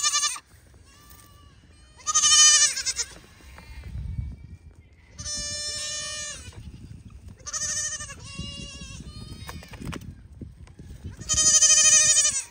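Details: Young Pygmy goat at play on a farm in Knoxville, Tennessee, USA, bleating repeatedly: several loud quavering cries of roughly a second each, spaced by pauses of one to three seconds, with soft rustling and thumps between.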